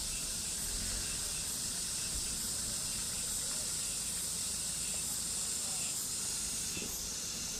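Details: A high, steady wall of buzzing from summer cicadas, faintly pulsing at regular intervals, over a soft low rumble.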